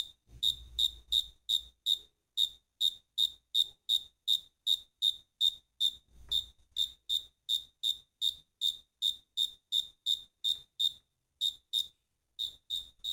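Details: Crickets chirping in a fast, regular series of high, piercing pulses, nearly three a second, with one short break near the end and a faint low thump early on.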